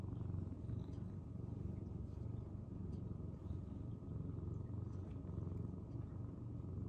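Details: Shy senior rescue cat Tokiji, found collapsed in late spring 2015, purring: a deep, rapid, continuous rumble swelling slightly in loudness, with no other clear sounds.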